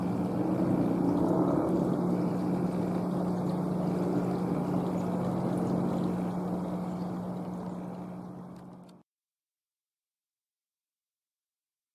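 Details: A steady low engine-like hum with broad rumbling noise fades out, with no animal calls heard. Only mechanical drone and wash of noise fill the recording before it falls silent.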